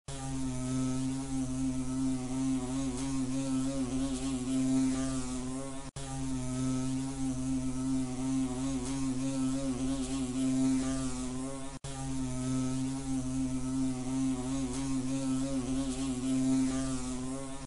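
A wasp's low, steady droning buzz, unbroken and even in pitch.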